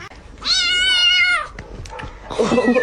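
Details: Kitten indoors giving one drawn-out meow of about a second: a steady, harmonic-rich tone that sags slightly at the end, followed by brief rustling and handling noise.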